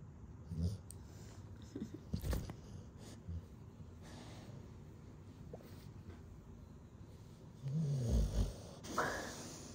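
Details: A pit bull dog asleep, snoring in low rumbling bursts, with a louder, longer snore near the end and quiet room noise between breaths.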